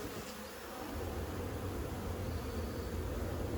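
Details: Honey bees from a 15-year-old hive being cut out of a house's siding, a dense low buzzing hum filling the air, steady and even, with smoke being applied and a faint hiss in the background.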